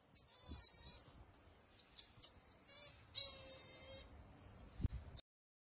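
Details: Pet marmoset from Chennai uttering shrill, high-pitched whistles and buzzy trills in short bursts, one sustained call near the end, then a sharp click and silence.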